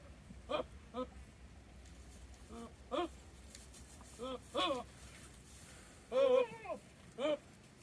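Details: Goats in the rut with one in heat, calling repeatedly outside: short nasal bleats roughly every half second to second, ending with a longer, quavering bleat, over low background hum.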